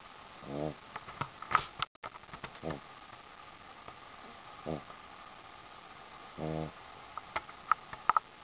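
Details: Ziggi, a Boston Terrier, sleeps on a sheepskin and snores in low, buzzy, harmonic bursts about every two seconds, with a few faint clicks and rustles between breaths in a quiet indoor room.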